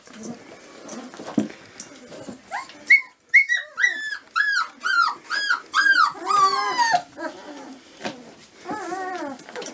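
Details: A litter of 25-day-old Dobermann (Canis familiaris) puppies give a rapid string of high, downward-sliding whimpers and squeals.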